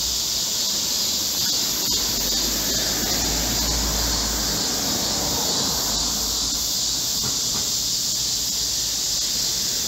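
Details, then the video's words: Korean cicada chorus in a midsummer green forest during a heatwave, 25 July 2024; a loud, constant shrill drone with faint irregular pulsing, over a noticeable low rumble and broadband background noise. "Korean cicadas, a chorus in a midsummer green forest | 한국 매미들의 한여름 초록 숲속의 합창"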